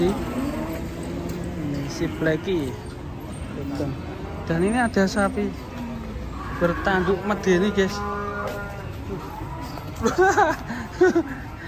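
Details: Agitated cattle in a compilation of raging cows: a low, drawn-out moo opens, followed by several short, rough bellows broken by voices and bursts of commotion.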